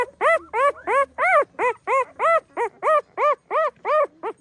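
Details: Pahadi dog mother watchful over her puppies: a steady run of about a dozen high, arched yelping calls, evenly spaced roughly three per second, clear and harmonic with a quiet background.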